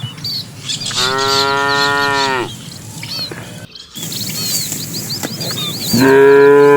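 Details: Cattle herd, dozens strong, pushed into the pen by a herder as evening falls; a long, rich moo of about a second and a half, a pause filled with bird chirps, then another loud moo begins.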